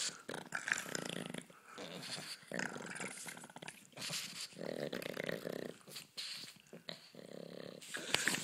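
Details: Pug playing around indoors, growling playfully; repeated rough, buzzy growls lasting about a second each alternate with snuffling huffs and scuffling, continuing through the stretch with short gaps between bursts.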